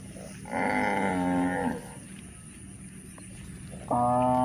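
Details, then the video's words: Cows walking on a hill in a rural setting: one drawn-out harmonic moo of about a second, then a quiet pause, then the start of another steady, tonal moo. "Charming Cows on the Move: Hill Journey with Funny Sounds and Gentle Footsteps"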